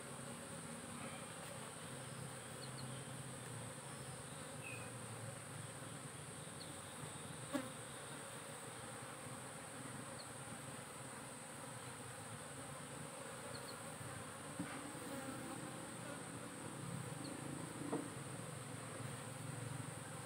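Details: A honey bee colony in a managed hive keeps up a dense, unbroken droning buzz while frames heavy with larvae are inspected, with occasional sharp knocks and light clicks from handling.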